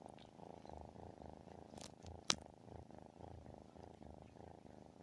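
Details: A cat's loud, throaty purr, perhaps a snore, rumbles low and continuous in breath-paced waves; one sharp click cuts through near the middle.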